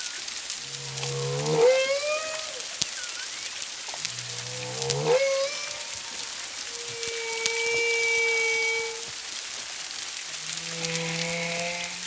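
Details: Humpback whale song recorded at Culebra, Puerto Rico, in February 2022, at 1–2 miles, two or more whales: two upward-swooping whoops a few seconds apart, a long even tone, then a low moan, with persistent crackling behind.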